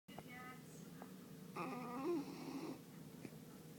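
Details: Beagle named Jay asleep indoors, snoring and dreaming: a low, steady rasping drone with a brief harmonic, whine-like swell partway through that slides slightly in pitch, over a quiet room background.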